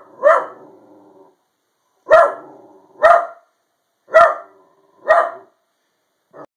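An Italian Greyhound gives short, sharp barks, each a single bright woof with a quick fade, spaced about a second apart with uneven gaps. The barking serves to guard the house.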